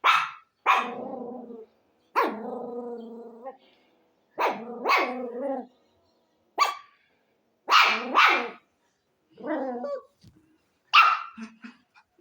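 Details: A dog barks in irregular bursts: sharp single barks alternate with longer, harmonic, slightly whining barks, about eight bouts over twelve seconds with silent gaps between.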